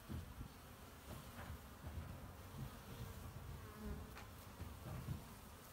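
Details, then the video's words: Low, rough buzzing of honey bees gathering pollen on 18 March 2018, with short swelling passes as individual bees fly near, steady and continuous throughout. "my honey bees collecting pollen"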